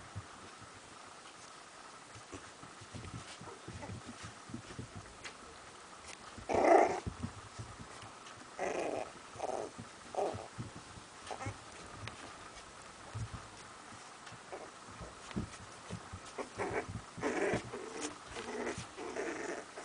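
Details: Sealyham Terriers Dunya and Amilcar in Kiev. Short rough growling bursts rise out of steady rustling and scuffling, the loudest near the middle, then several more scattered rasping outbursts follow over twenty seconds.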